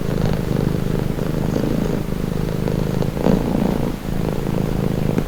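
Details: Domestic cat purring steadily, a low rumbling drone with a pulsed texture and gentle swells as breaths alternate, continuous throughout with no other sounds.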